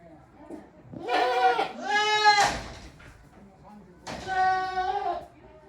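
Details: Goats in a farm shed on 5 December 2023, voices varied and sometimes strange: a pair of quavering bleats run together, a brief gap, then a single steady nasal bleat.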